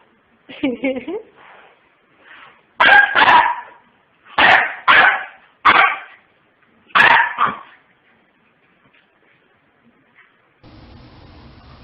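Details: Pomeranian puppies yapping: a brief whiny note, then five loud, sharp yaps spaced about a second apart, followed by faint squeaks and a low hum at the end.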